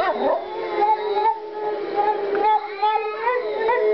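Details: Rose, a female Boston Terrier pet, howls along as if singing opera: sustained tonal wails with wavering pitch and rich harmonics, sliding up and down in long connected phrases, brief yips breaking in near the end.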